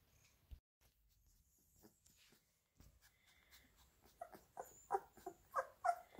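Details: Labrador Retriever puppies getting minced beef: a quiet start with faint clicks and shuffling, then a quick run of high, thin whimpers, roughly three per second, growing louder toward the end.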